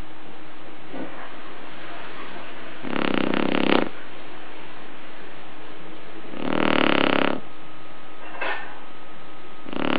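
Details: A sleeping Shar Pei snoring indoors: four rasping, broadband snores, each about a second long, come at uneven gaps over ten seconds against a faint steady electrical hum.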